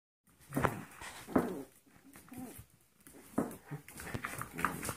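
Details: Foster puppies, 14-week-old Golden Retriever mixes and 5-week-old Yorkshire Terriers, playing together indoors: short whimpering yelps and grumbles in bursts, with a person's voice mixed in.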